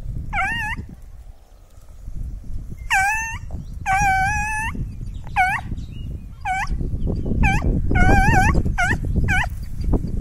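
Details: Petit Basset Griffon Vendéen hounds Vilma and Chica, in training and chasing rabbits outdoors: high, ringing yelps that bend up and down, given singly and in quick bursts with short pauses, over rustling footsteps through vegetation.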